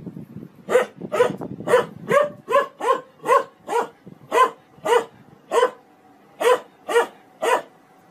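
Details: A dog barks steadily, about fourteen sharp, mid-pitched barks spaced roughly half a second apart with a short pause near the end, over a quiet background with faint low rumbling early on.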